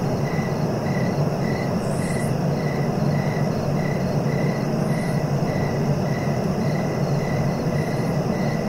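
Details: Cricket giving short, evenly repeated chirps a little under two per second, with occasional faint high rasps, over persistent low-frequency rumbling noise.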